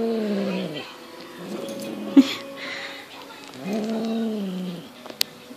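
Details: Highland Lynx cat, six months old, at play with a fox tail indoors: two long, low, droning growls, each under a second, with a quieter gap between them. A person speaks Dutch in the background, with a few light knocks.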